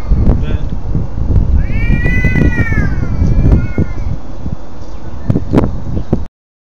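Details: Pet cat sounding off before attacking another cat: one arched, wavering yowl lasting about two seconds, mixed with a person's voice, rustling and thumping handling noises.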